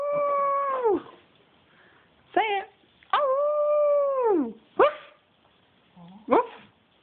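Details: Spencer, a pet dog playing wildly and going a bit crazy, lets out long steady howls that drop sharply at the end, alternating with short sharp yips, in a quiet room.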